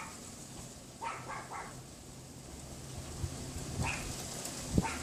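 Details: Pomeranian next door, hidden behind a wooden fence on a windy afternoon, February 6, 2015, about 3:18 PM; three quick yaps early on, then a few scattered single yaps, all under gusting wind noise.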